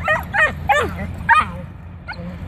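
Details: A dachshund puppy in a playful bark-off gives four quick high yips and barks in the first second and a half, then softer whining calls, over a low steady background hum.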